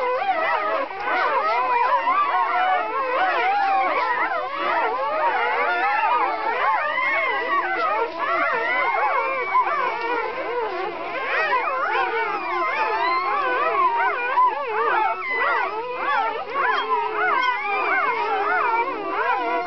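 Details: Litter of twelve newborn Kuvasz puppies, born 4 April 2011, six boys and six girls; many tiny voices cry at once in a steady, tangled mass of rising and falling squeaky whimpers without pause.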